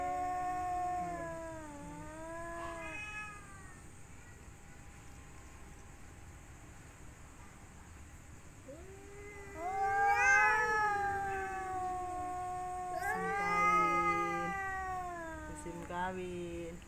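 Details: Mating-season cats with males contending for a female: quieter descending wails, a silent stretch, then rising, wavering yowls that peak and taper, over faint background hum.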